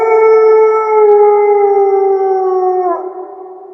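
A wolf gives a long, smooth howl that holds a steady pitch and slowly slides lower.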